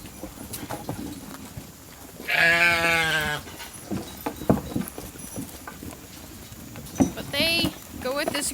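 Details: Hungry sheep flock at Nature Lane Fiber running into a holding pen for evening grain on a dry, dusty day; one loud, harmonic, wavering bleat in mid-passage and a shorter one near the end, over a woman talking and trampling noise.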